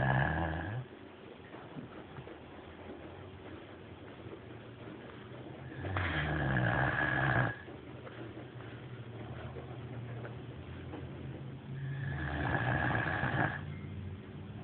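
A sleeping Great Dane snores with low, rumbling, rasping breaths, each lasting a second or two. The snores recur roughly every six seconds over a steady low background hum.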